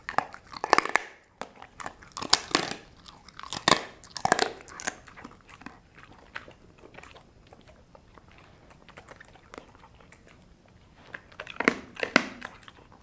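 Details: Sasha, a dog, gnaws dried kangaroo bone and jerky chews from Australia. Loud, heavy crunches come in quick bursts early on, then a quieter stretch of soft gnawing, before another pair of strong cracks near the end.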